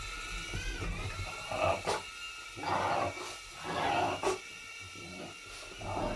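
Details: Pet dog called Bob jumping and barking while chasing a low-power indoor drone around a living room; throaty, growly bursts come roughly once a second over the drone's steady high whine.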